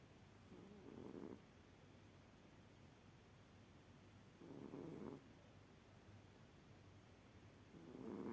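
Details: Cat asleep and snoring, each breath a gentle low rasping rumble lasting under a second. Three snores come at even intervals of about three and a half seconds against a soft background hiss.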